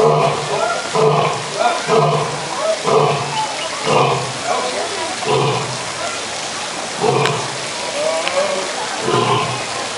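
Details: A skinny old lion roars in a series of deep, throaty grunts, about one each second, over a steady hiss.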